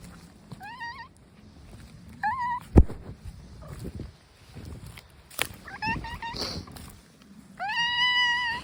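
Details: Stray brown tabby cat outside producing a series of meows: two short calls early, a cluster of quick wavering ones later, and a long sustained, strongly harmonic yowl at the end, with a sharp knock and light rustling in between.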